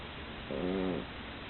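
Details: Sleeping female pug, worn out from play, giving one half-second snore. The snore is a tonal, nasal drone with several even overtones, set against quiet background hiss.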